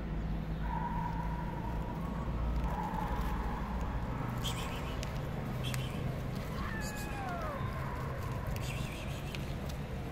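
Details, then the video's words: Street-living stray cats, one black and two white: a long, steady, thin cry early on, then a sharply falling meow later, set against continuous low urban rumble and scattered ticks. "A black cat and two white cats have a very cute meow"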